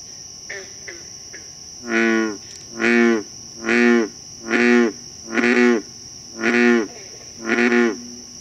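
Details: An American bullfrog (Lithobates catesbeianus) in Concord, Massachusetts gives a series of deep, resonant croaks, about one a second, over a steady insect drone.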